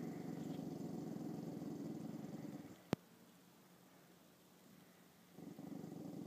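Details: A female dog named Chanel meets her mirror reflection for the first time, growling in a deep, throbbing rumble. A sharp click breaks it off, then a quiet stretch follows before the low growl starts again.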